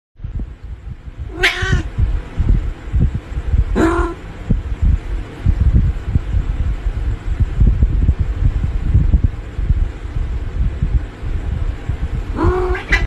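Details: Domestic cat protesting at being touched: three harsh, wavering wails, the first two about two and a half seconds apart and the last near the end, over constant deep rumbling and handling thumps.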